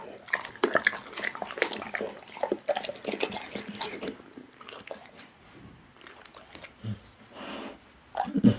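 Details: A pit bull chews raw meat up close: dense wet crunching and biting in the first five seconds, then softer smacking and licking with a few low thuds toward the end.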